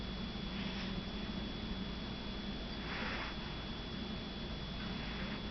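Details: Shih Tzu puppy named Mini Cooper, sleeping and snoring: soft, breathy, noisy puffs recur about every two to three seconds over a steady low hum, with no voices.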